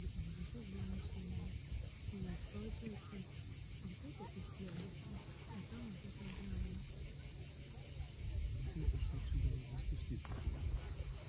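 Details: Cicadas at sunset on the steep coast of Cape Fiolent, Crimea: a steady, dense high-pitched buzz runs unbroken throughout, over a low rumble of waves, with faint scattered bird chirps and short twittering notes in the middle range.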